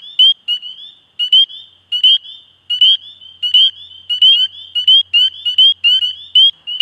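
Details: Spring peeper calling: loud, high, short upslurred peeps, several close together in bursts, coming roughly every half second to second, with fainter peeps from other frogs overlapping in the background; otherwise quiet.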